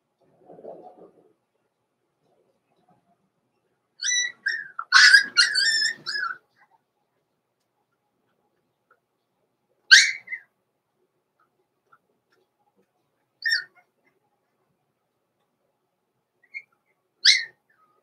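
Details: Blenheim Cavalier King Charles Spaniel puppies, born November 14, 2022, in a home puppy pen at Christmas time. A cluster of high, squealing yelps comes around five seconds in, then single short squeaks at roughly ten, thirteen and seventeen seconds, with quiet between.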